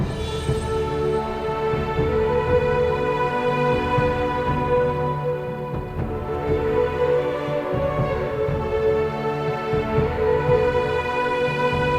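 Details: Sustained, dark instrumental music with layered tones plays throughout, and no animal voices are heard.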